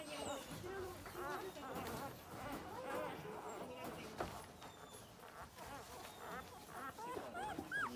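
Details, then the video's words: Dalmatian puppy, the second female of a litter, wearing a red collar, giving many short arched whining and whimpering calls mixed with other puppies' overlapping whimpers, with a faint background hum throughout. "ダルメシアン 次女です。赤の首輪"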